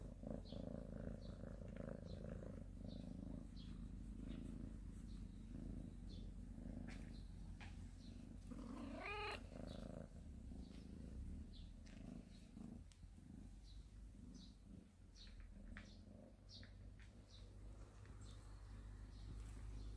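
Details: Cat family in a storehouse, warming themselves in morning sunshine. A low rumbling purr-like drone fills the opening seconds, and a single short meow rises near the middle, all under constant chirping of small birds.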